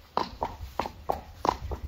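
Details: Six sharp hoof knocks from a Friesian horse, spaced about a quarter to half second apart, clip-clopping over a quiet low hum.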